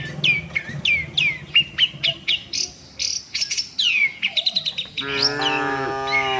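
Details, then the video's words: Cattle on the walk to the shed with the herd. Quick, downward-sweeping bird chirps dominate at first, then one strong, sustained moo rises out at the close. "suara sapi moo"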